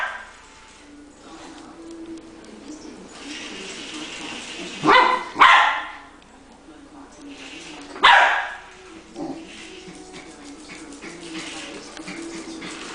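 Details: Puppy barking at a remote-controlled toy spider it plays with: loud sharp barks in pairs near five seconds and again near eight, with a softer yip after, over room noise and a person's voice.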